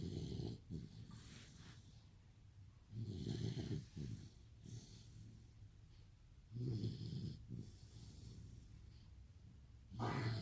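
A Rottweiler puppy snores loudly, with low, rattling rumbles on each breath roughly every three seconds. Between the snores come softer, airy exhales, and the rhythm is slow but uneven.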